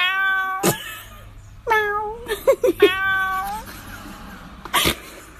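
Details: Cat meowing in a series of drawn-out, wavering tonal meows, some long and others short and clipped, with sharp knocking noises in between.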